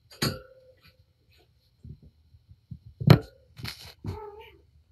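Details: Patience, a mother cat surrendered to Purrfect Pals, plays indoors with her five young kittens; two short, tonal meows, one near the start and one near the end, break through bumps, thuds and scuffling of rough play.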